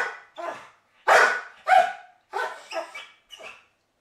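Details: Pit bull barking to wake its owner, giving a run of about seven short, harsh barks, some with a ringing, whiny edge. The barks come roughly every half second, loudest in the middle, with brief silences between.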